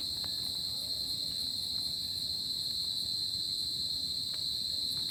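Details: Crickets calling at night in summer, a continuous piercing trill in a single high band. A very high pulsing shimmer beats rapidly over it, and there is a light low background rustle.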